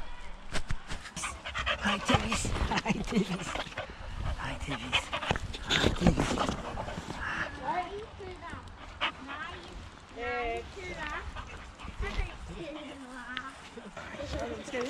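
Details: A male Boxer named Rex, living near Landskrona in southern Sweden, at play with his friend Tuva: heavy rhythmic panting and scuffling at first, then wavering whiny tones, with people talking in Swedish.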